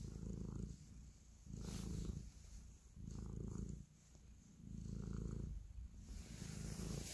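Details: Kneading pet cat purring with affection: a low, rumbling purr in five even swells, one about every one and a half seconds, each breath in and out clearly marked.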